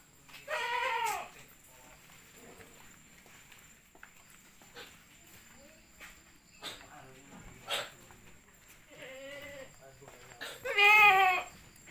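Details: Jumbo Peranakan Etawah goats on a goat-breeding farm: three loud, nasal, tremulous bleats spaced several seconds apart, the last one strongest, with quiet murmur and shuffling between them.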